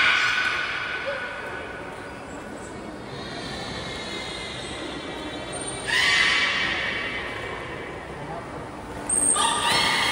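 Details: Belugas in captivity at Port of Nagoya Public Aquarium, Japan, during a training session with all animals taking part, 16 November 2024. Layered, whinny-like harmonic squeals and high whistles, with louder bursts near six and nine seconds over steady crowd chatter.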